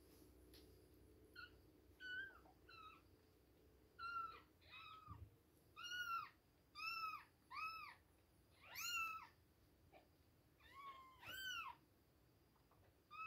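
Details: Kittens aged two weeks at milk time, crying almost nonstop: a dozen or more high, arching mews, some short and some drawn out, overlapping as several voices call over a quiet indoor background.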